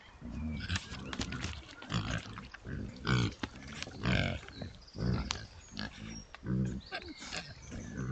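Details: Oxford Sandy and Black pigs, a historic British rare breed, recorded in woods by a trail camera as the sounder investigates and roots around. Deep grunts repeat roughly once a second, some rising into short nasal squeaks, over leaf rustling.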